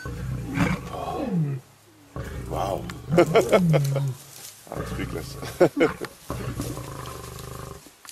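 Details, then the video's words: Male lions fighting to impress a lioness, one with a bloody mouth from the fight: deep rumbling roars and growls in several bursts, some rising and falling in pitch, with a person speaking partway through. "fierce fight between lions impressing lioness"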